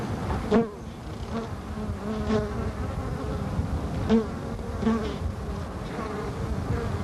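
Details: Carniolan honey bee performing the waggle dance on an observation hive comb, July 1990, capacitor microphone: steady hive hum broken by buzzy wing-puff bursts roughly every one to two seconds as the waggling modulates the sound.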